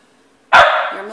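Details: A single loud, abrupt dog bark indoors in the morning, with a drawn-out ringing tail after the burst, in a home with several pet dogs.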